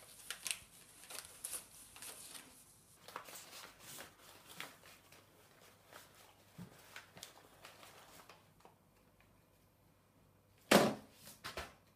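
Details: Soft rustling, shuffling and light clicks fill a small indoor room, then a pause before a sharp knock and a few brief bumps near the end.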